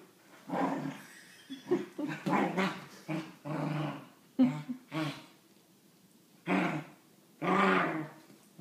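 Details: Wheaten Terrier named Dillon with his favourite toy monkey, producing a string of gruff, rasping growls of uneven length, several rising into harsher snarling bursts, with short pauses between.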